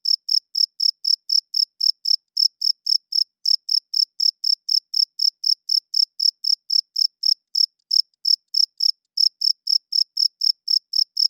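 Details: A male cricket chirps at night, wings producing the sound: sharp, high pulses at roughly four per second, grouped in runs separated by a few short gaps, on a quiet background.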